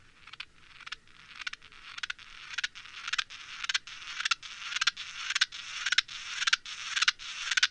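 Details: Naki-inago grasshopper song slowed to a quarter speed, taken from a separate recording made on the same day: rasping broadband pulses repeat steadily about twice a second and grow slightly louder through the passage.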